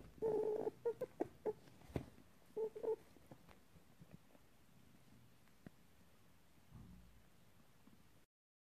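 A rabbit gives a quick run of short, squeaky whining notes, then falls quiet.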